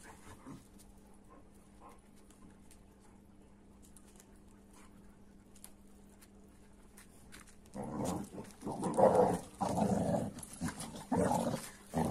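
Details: An AmStaff and a Kuvasz roughhousing: a long stretch of near silence with faint scuffs gives way to a run of loud, rapid play growls and huffs in the last seconds.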